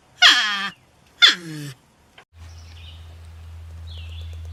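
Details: Porcupine giving two long, whining harmonic cries that glide downward, followed by a steady low hum and faint high squeaky notes in the background.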